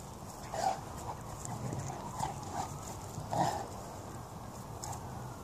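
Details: Two Presa Canario dogs play fighting: short muffled growls and grunts come in bursts every second or so, two louder ones stand out, over a steady hiss of background noise.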